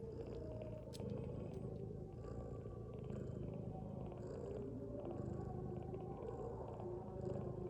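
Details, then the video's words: Domestic mother cat asleep indoors beside her kittens, snoring: a low, steady rumbling texture with slow breaths roughly every two seconds, plus faint high ticking sounds in the background. "Mother cat snoring with her kittens"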